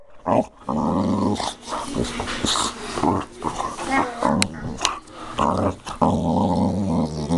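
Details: Lily, a pet dog, growls in a low, rumbling, sustained tone that rises and falls over several seconds, broken by short gaps, with people talking and laughing nearby.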